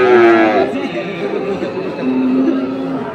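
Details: Crossbred farm bulls at Ambari market in Parbatipur, Dinajpur, Bangladesh, on 2 January 2024: a short lowing moo at the start, then a second level moo about two seconds in, amid buyers bargaining over prices.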